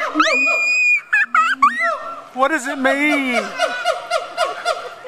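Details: Siamangs at Riverbanks, recorded October 4, 2010, give loud, rising whoops and quick barking notes over a low, resonant undertone.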